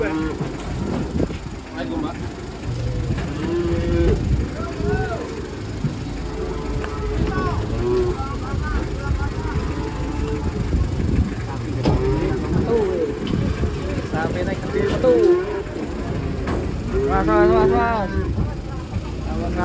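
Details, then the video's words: Cattle being unloaded from a truck in Indonesia moo in long low drawn-out calls amid a noisy crowd, with voices, clatter and engine rumble throughout. "KUMPULAN SAPI EXTRIM TURUN DARI TRUK"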